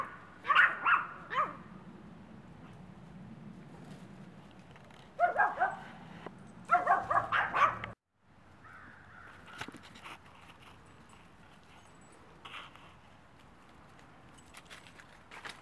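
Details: A one-year-old female Maltese up for adoption at Helping Homeless Dogs Rescue in Brooksville, Florida, a social dog fond of other dogs; short bursts of high, sharp yaps come in clusters, with quieter stretches and faint room noise between.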